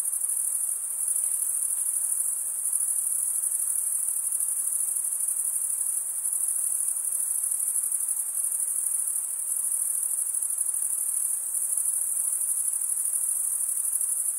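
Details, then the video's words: Chorus of crickets chirping by rubbing their wings together, a continuous high, thin buzzing trill holding one level throughout, rapid and even, with nothing else audible. "Most relaxing cricket sound"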